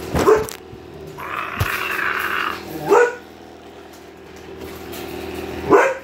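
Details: Seven-week-old husky puppies at play give three short, rising yelps, spaced nearly three seconds apart, with a brief broad hiss between the first two.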